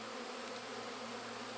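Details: Western honey bees (Apis mellifera) buzz right beside the hive's honey supers, tens of thousands in the air around the beekeeper, a dense, steady droning hum of countless beating wings.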